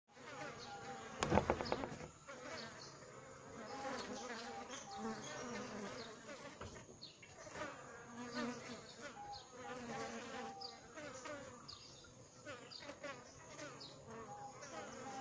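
A crowd of bees fills the air with a steady, droning buzz, many overlapping hums that waver up and down in pitch. A sharp knock sounds once near the start.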